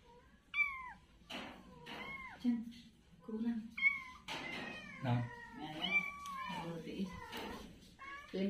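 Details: Kittens playing on the ground give short high meows that bend downward, several in a row, while people talk indoors throughout.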